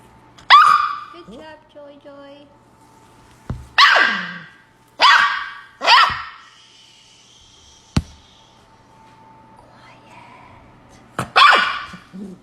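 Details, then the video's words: Puppy in a huge tantrum indoors, giving loud yappy barks in clusters separated by pauses, a soft whimper, and a few sharp knocks. "puppy has huge tantrum"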